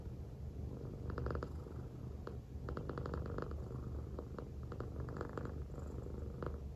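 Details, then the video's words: A female silver tabby American Shorthair cat, born January 2019, purrs steadily while lying affectionately on her owner's belly, a low continuous rumble with soft rhythmic pulses. "Affectionate American Shorthair Cat Purring On My Belly"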